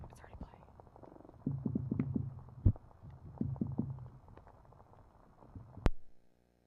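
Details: A red drum, recorded underwater at an oyster reef in a North Carolina estuary, gives very low, growling drumming, with rapid knocks run together in short bursts.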